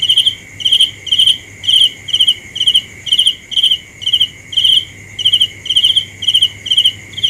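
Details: Cricket chirping steadily, short high pulsed chirps about every half second, roughly a dozen in a row, over a continuous thin high insect drone and a faint low hum.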